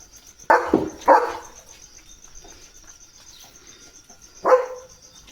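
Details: Leo, a pet German Shepherd, barks three times as rain arrives: two short, sharp barks half a second apart, then a single bark after a three-second pause, over a steady high insect-like whine.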